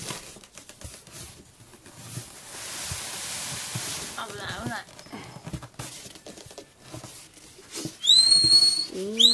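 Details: Baby Asian small-clawed otter born 10 April 2017 at Ise Sea Paradise aquarium, suddenly growing sleepy after play. Faint chevron-shaped chirps mid-way, then loud high whistled squeaks rising and bending near the end, over murmuring background noise.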